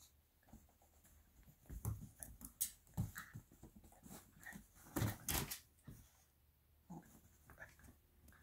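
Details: Italian Greyhound puppy, 8 weeks old, biting a bed indoors: low rumbling growls in short uneven bursts, mixed with rustling, chewing and soft thumps against the bedding.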